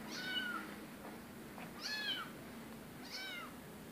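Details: Rescue cat meowing three times at steady intervals, each call a high, arching whine that rises and then falls, with a light constant hiss of background noise.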